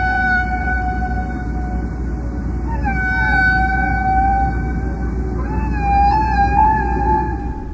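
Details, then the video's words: A humpback whale sings long, moaning tonal notes that slide up and bend, repeated in a pattern, over a deep underwater rumble. "And here's a humpback singing. (whale singing)"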